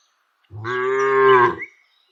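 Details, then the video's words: Single village cow being herded gives one steady, drawn-out moo lasting about a second, even and harmonic-rich with a slight rise toward the end, then silence. "Cows Sounds"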